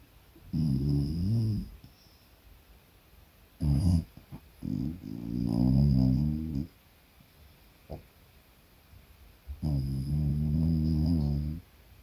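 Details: Pet beagle at home making deep, contented snores: three long rumbling low-pitched bursts with wavering harmonics, each lasting one to two seconds, separated by short pauses and a few brief snorts, in a quiet indoor room.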